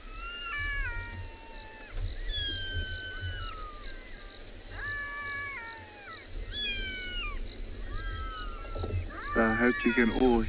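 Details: Two black-backed jackals, with possibly a third in the valley, call near a vehicle at sunset in Tswalu Kalahari Reserve, South Africa, on 13 December. High, quavering wails slide downward, repeated in bursts every couple of seconds over a low engine-like hum, then a brief rustle.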